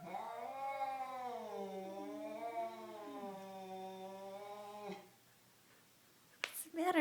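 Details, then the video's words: Pair of domestic cats, one black and white, sounding like a scary movie while not fighting; a single sustained yowl of about five seconds, gently undulating in pitch, then silence, a sharp click and another cry beginning. "Cats making horrible noises"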